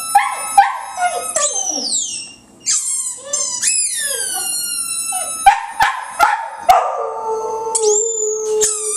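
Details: Indoors, the pet dog Butch answers a loud squeaky ball. Sharp high squeals and sliding squeaks alternate with his short yelping notes, then a steady, drawn-out howl near the end.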